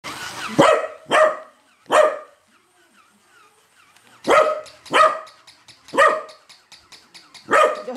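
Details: Hana-san, a pet corgi, barking fiercely at a moving toy corgi: sharp, loud single barks in two bursts, three quick barks, a quiet gap of about two seconds, then five more spaced roughly a second apart.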